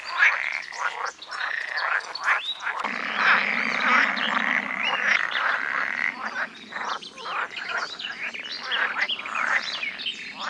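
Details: Group of male pool frogs croaking to lure females at ditches and ponds in the Netherlands on a sunny day in breeding season; irregular overlapping rattles and quacking calls, with a low hum beneath part of it.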